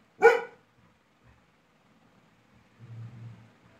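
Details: Labrador Retriever named Laiza, angry after being bothered by a small toy, gives one sharp, loud bark near the start, followed by quiet and a faint low hum.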